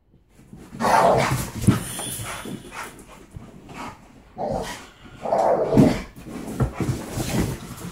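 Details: Alaskan Malamute indoors playing with a pit bull over a toy, giving rough, moaning growl-like vocal bursts near one, four and a half and five and a half seconds, with scuffling and thumps between.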